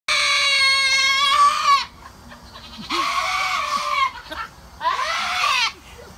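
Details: Female goat screaming while getting a bath: three long, loud, wavering human-like bleats, each about a second, separated by short pauses and breaths, with a quivering, slightly falling tone.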